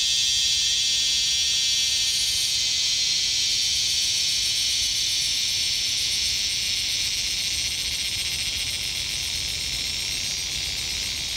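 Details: Insect only about 2 cm long in Laos, a loud shrill buzz held steady for the whole stretch, high-pitched and continuous with a fine, rapid pulsing texture and no breaks.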